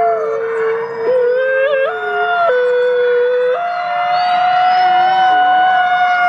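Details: Howling wolves in a forest, calling to communicate: overlapping drawn-out tones jump in sudden steps between pitches, one voice gliding lower toward the end while others keep a steady, higher note.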